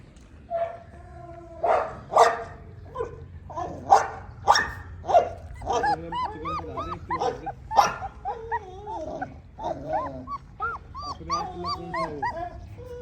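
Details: Tibetan Mastiff puppies offered for sale produce a busy mix of short barks early on, then many high, arching whines and yelps overlapping one another, tumbling over each other almost continuously through the recording.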